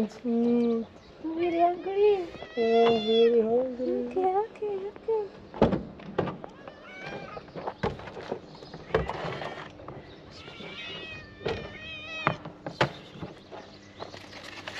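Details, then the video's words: Ginger stray cat that would not leave a car, meowing because it is hungry; a run of wavering, tonal meows over the first five seconds, then softer calls among clicks and handling noises, with a person talking throughout. "The ginger cat did not leave the car and was trying to tell me that I was hungry."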